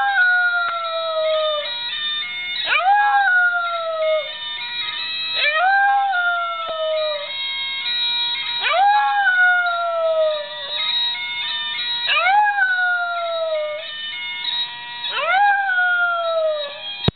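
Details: Pet dog howling along to a grandmother's bagpipe ringtone: long wavering howls that rise sharply and then slide slowly downward, repeated about every three seconds over a loud, continuous bagpipe drone and melody.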